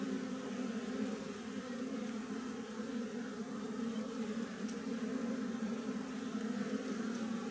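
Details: From a honey tree, a wild colony of western honey bees drones in a constant low buzz with steady loudness. Faint ticking sounds come near the end.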